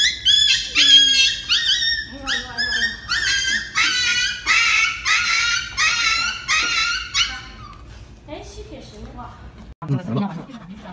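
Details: Dog crying out while getting an injection, a run of high, harmonic yelps and whimpers coming about once a second, fading after seven seconds, with a person speaking Chinese close by.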